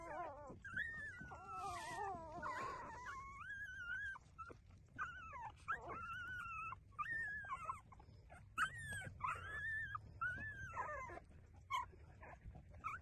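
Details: Puppies, apparently street-dog pups, whimpering while breastfeeding; high, wavering whines that rise and fall, coming in quick overlapping bursts throughout, with a few short squeaks and soft background shuffling.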